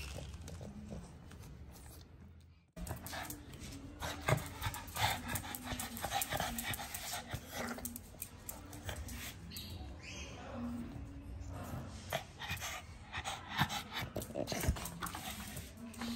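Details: Micky, a very active pet Pug, playing with his owner indoors; drawn-out nasal whines and whimpers in low tonal bursts, mixed with panting huffs and snorts, with brief human speech and handling noise throughout.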